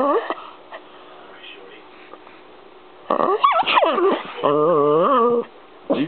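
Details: Chihuahua named Peanut arguing with and attacking the camera: a short yelp, a quiet pause, then a burst of rough growly yowls and a steady, wavering, tonal whine lasting about a second, with music in the background.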